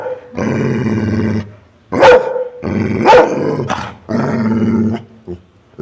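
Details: Dog alternating drawn-out low growls with short, sharp barks. The bursts are repeated irregularly over several seconds, with a man's Telugu speech, throat-clearing and laughter nearby.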